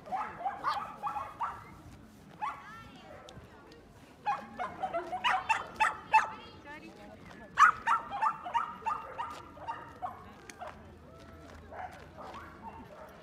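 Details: Barking from dogs playing at the Yoyogi Park dog run in Tokyo: clustered sharp yaps and barks in bursts over thirteen seconds, with owners' voices and park chatter mixed in.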